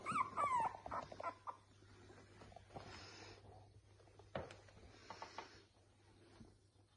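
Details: Red Boston Terrier puppies, recorded 21 Nov 2021, give high, thin whimpers and squeaks, loudest at the start and then trailing off.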